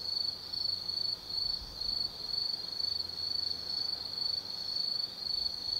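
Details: Autumn insects calling at night in woodland at Tsukimi no Mori, Gifu Prefecture, Japan: bright high trills pulse in quick bursts, around two per second, riding on a constant shrill ringing background.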